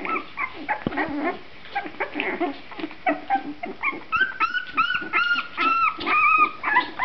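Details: Puppies of a litter at two and a half weeks, eyes just open: scattered whining and squeaks at first, then a run of clear arched whimpers repeated about every half second toward the end.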